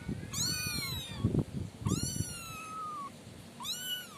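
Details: Three loud, clear kitten meows from five young siblings housed in a cardboard-box pen: a rising-then-falling wail, a long drawn-out level cry, then a short arched mew, with soft low rustling beneath.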